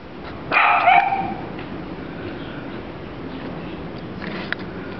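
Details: A single high yelping bark from a Dachshund puppy, bright and harmonic and lasting about half a second, followed by several seconds of quiet room hiss with a faint click near the end.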